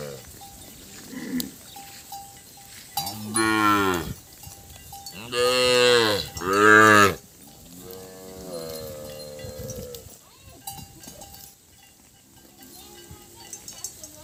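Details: Calves crying for their mothers after being separated. Several long, loud, harmonic bawls rise and fall, with clusters around the middle, then softer moans. A faint steady ringing tone is heard throughout.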